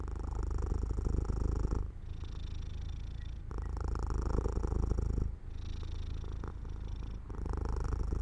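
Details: Cat falling asleep at an open, sunlit window, producing a rich, low purr in rhythmic two-second waves separated by quick quiet breaths.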